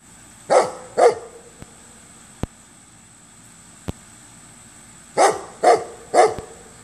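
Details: A neighbour's dog barking while lying upside down and wagging its tail: a pair of short sharp barks, a pause of about four seconds with faint clicks, then three more barks in quick succession.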